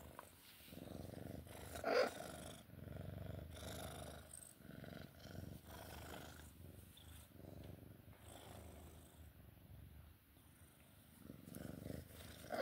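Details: Sphynx cat at play time purring in a soft, continuous low rumble that swells and eases with each breath, with occasional scratchy rustles and small taps nearby.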